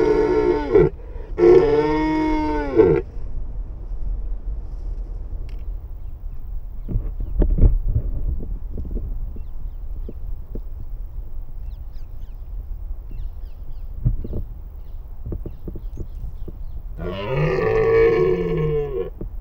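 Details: Wild red deer stag roaring in the breeding season: two long, deep, harmonic bellows, one at the start and one near the end, with quieter scattered knocks and low rumbling between them.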